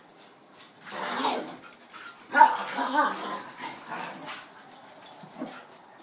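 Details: Corgi and beagle mix playing rough together on a porch, giving rumbling growls and muffled grumbly barks that rise and fall over several seconds, with one louder outburst midway.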